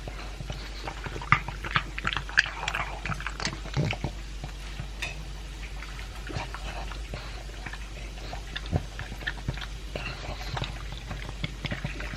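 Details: Indoors, a two-year-old pug named Elvis eats his dry food with a chunk of beef. Scattered crunches and moist smacking come in uneven bursts, with quieter gaps, over a faint low hum.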